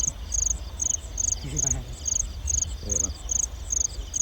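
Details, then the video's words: Night chorus of field crickets in rice-field country, 9 to 10 pm, recorded during a lamp-lit hunt for them. Sharp, high chirps repeat regularly, around two each second, with faint voices at two points. "ចង្រិតស្រុកស្រែពេលយប់ l Field crickets at night"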